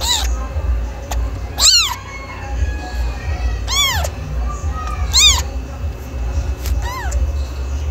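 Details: Cat meowing, described as a young cat: short rising-falling meows with bright stacked harmonics at about 1.7, 3.8, 5.3 and 6.7 seconds, some fainter between, over a steady low hum.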